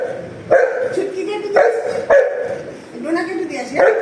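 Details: Pet Golden Retriever named Anna insistently barking to be given an apple by her owner's mother; four abrupt, clipped barks roughly a second apart, mixed with a woman's voice talking in Bengali between and over them.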